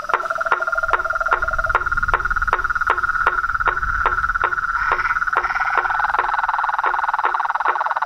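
A dense chorus of frogs and toads, with a steady trilling drone and sharp rhythmic clicks.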